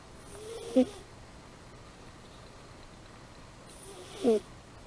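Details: Amy, a sleeping pet cat, snores: two short whistling nasal tones about three seconds apart, each with a soft airy breath hiss, over a quiet room background.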